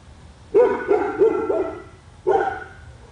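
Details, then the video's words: Pet dog in a yard in Royse City, Texas, one that barks for hours a day: a quick run of four sharp, mid-pitched barks about a third of a second apart, then one more bark after a short gap. "Our dog barking"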